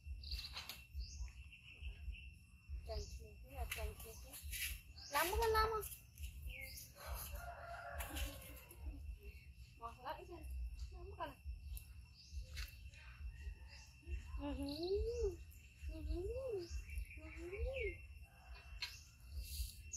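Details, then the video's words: Monkey Yoko giving an extreme loud cry after his brother Koko bites him; bursts of harsh crying, then a series of three short arched wails near the end, while a rooster crows and birds chirp in the background. "Monkey Koko Bites Brother Yoko Extreme Cry Loud"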